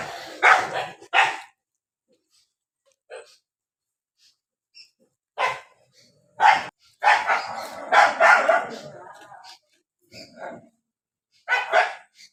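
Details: Dogs barking while fighting in the rainy season, loud double barks at the start, scattered faint yips, then a snarling cluster of barks and a final pair of barks.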